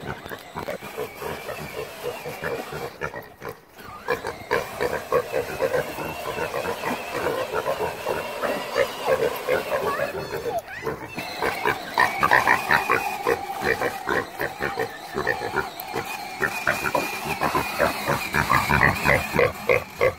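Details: Two pet mini pigs chasing a toy power-wheel jeep, barking and snapping at its tires. Harsh, rapid grunting barks repeat about three times a second in dense runs, with brief pauses and some human speech mixed in.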